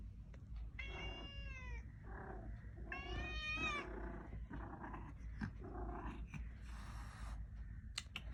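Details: Cat meowing on a cold night as a new kitten wants to come inside a room but is afraid of the resident cat; two long, harmonic, slightly falling meows about two seconds apart, then soft rustling and thumps over a low steady hum.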